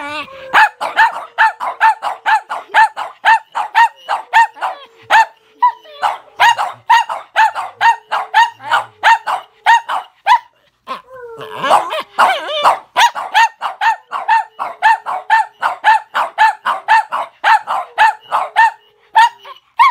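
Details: Boston Terrier and Pomeranian, small dogs that hate being filmed, yapping at the camera in a fast, even run of high sharp barks, almost continuous, with a brief pause midway.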